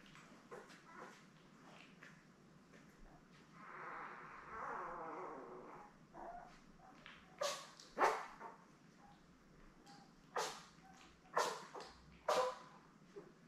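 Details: Newborn Labrador Retriever puppies, born May 24, 2021, in a litter of seven with their mother Belle on an indoor puppy cam; soft whimpering early, then several sharp high yelps and squeals spaced a second or two apart.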